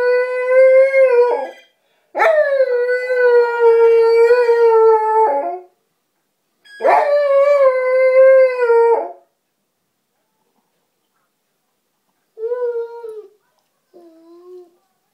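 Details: Border collie named Bob howling in response to a phone ringtone, giving three long, loud, sustained howls of about three seconds each with slight wavering pitch, then two short quieter howls after a pause.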